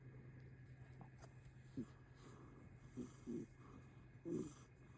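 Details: Chubby 11-month-old rescued kitten, a grey tortoiseshell, snoring while relaxed; four short snorting rasps come in quick succession within five seconds, steady low hum underneath.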